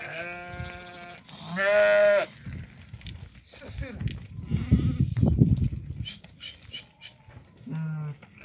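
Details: Ewes and lambs at a sale pen in Doukkala, a flock of 50 ewes that have all lambed: two loud, harmonic, quavering bleats back to back, then shuffling, thuds and human speech, with a short final bleat.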